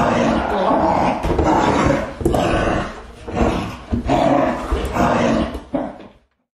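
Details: Dog growling and barking: a low, rough growl runs continuously beneath loud, harsh bark bursts that come roughly once a second, with short pauses between groups before the sound cuts off.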